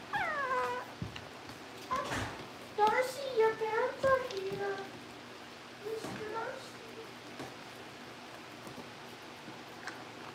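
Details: Cavalier King Charles Spaniel puppies indoors at a breeder's family home, being readied for pick-up by their new families: clusters of high, arching whines and yelps, several in quick succession, over a steady low room hum.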